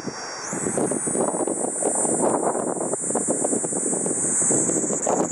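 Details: Kaempfer cicada singing on 4 August 2012 around 12:15 PM: a steady, very high shrill buzz that rises in pitch in the first second and then holds, over loud rustling and rumbling noise.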